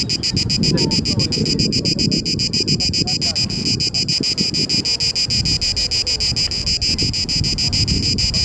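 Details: Cicada orni, a male cicada singing in Parque Eduardo VII during the mating season to attract females. A steady train of quick, high buzzy pulses runs throughout above a louder low rumble of wind or traffic noise.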